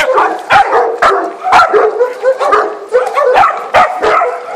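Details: A three-month-old puppy facing a Maremma sheepdog, the two dogs loud and close: dense, overlapping yips, whiny growls and short barks with sharp bursts roughly every half second.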